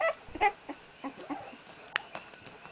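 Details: Firstborn puppy Red from Aina's first litter, attempting his first steps: a few short high whimpers and squeaks, scattered and uneven, with soft rustling and a sharp click between them.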